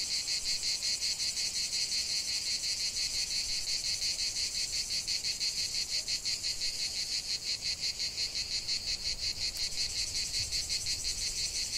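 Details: Cicadas singing in a lavender field: a dense, shrill, high buzzing chorus throbbing in steady pulses about three times a second throughout, with no other clear sounds.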